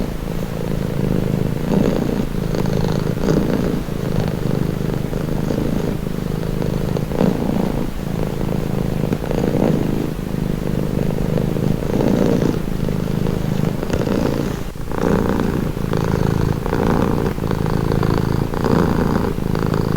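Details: Domestic cat purring steadily, a deep rumbling vibration that swells and eases with each breath for the full stretch, with no other sounds intruding.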